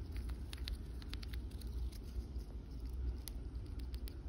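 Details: An eastern chipmunk, a female, shells and eats a peanut in the backyard, making sharp irregular clicks over a low rumble.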